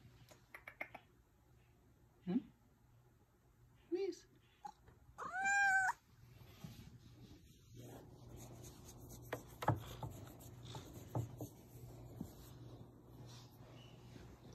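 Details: Ragdoll cat Missy, a female with a sweet voice, meowing indoors; short chirps at two and four seconds, then a strong drawn-out meow near five seconds, followed by quiet rustling and low household noise.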